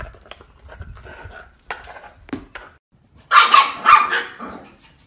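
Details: Pomsky puppy, a Husky and Pomeranian mix, indoors: soft scattered whines and snuffles, then two loud, sharp barks in quick succession near the end.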